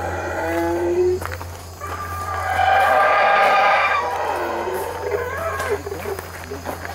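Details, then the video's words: Boisterous howler monkey roars: a short harsh opening call, then a long, swelling, wavering howl peaking around three seconds and trailing off into scattered rougher grunts, all over a persistent low hum. "Howler Monkey Calls"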